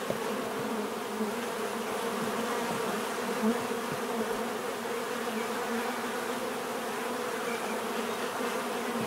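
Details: Continuous bee buzzing, a dense humming drone from many insects, level and unchanging throughout, with a small knock partway through.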